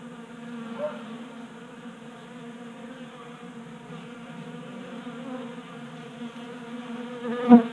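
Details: Honey bees feeding at a 3D-printed tabletop feeder in a garage in Colorado, active on a warm 60-degree January day. Steady droning buzz of many wings with layered harmonic bands, one sharp click near the end.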